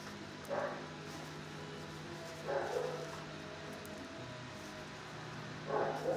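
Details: Six-year-old dog in a shelter kennel barking at a person at first: three short, loud bark bursts about two to three seconds apart, over a steady low electrical hum.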